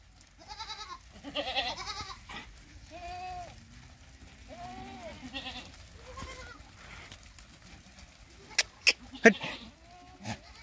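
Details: Sirohi goat kept on a farm near Nagaur, Rajasthan, India, giving a run of quavering, mid-pitched bleats that rise and fall, each about half a second long, then sharp clicks and knocks near the end.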